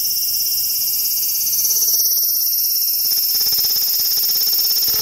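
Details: Large brown cicada (Graptopsaltria nigrofuscata) recorded in Japan on 18 August 2020, giving a continuous, harsh sizzling buzz like oil spitting in a hot pan, steady throughout with a faint pulsing texture.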